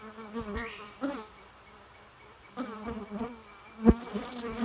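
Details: Bee buzzing in several passes: a low, harmonic hum that rises and wavers, drops away briefly, then returns louder, with a sharp knock near the end.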